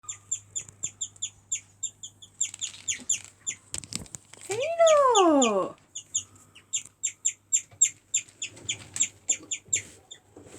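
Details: A male guinea pig chirps in a fast, steady run of high, bird-like tweets, several each second, after hammering nearby; the owner believes the chirping signals danger to others.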